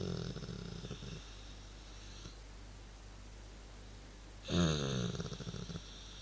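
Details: Dog making a funny noise while relaxing: a rough, snore-like breathing sound with a low rumble and a hissy upper edge, heard in a long stretch at the start, then silence, then a louder burst near the end.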